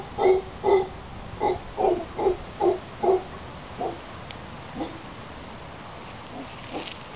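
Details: Howler monkeys near Casas Pelicano, Playa Junquillal, Costa Rica, giving a series of short, hoarse grunting barks, about seven evenly spaced pulses in the first three seconds, then fainter, more scattered grunts trailing off.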